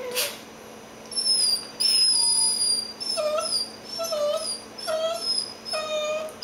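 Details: Indoors in bed, a dachshund and a cockapoo play while drowsy ahead of their morning nap; high thin whimpers held steady, then repeated falling whine-yelps roughly every second, each with a lower tone beneath it, over a faint household hum.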